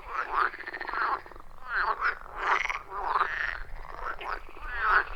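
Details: Frogs calling in a loud chorus around a wild forest pond, recorded with a phone and external microphone; overlapping croaking notes with harmonic, warbling bursts, some rising and bending, pulsing irregularly without pause.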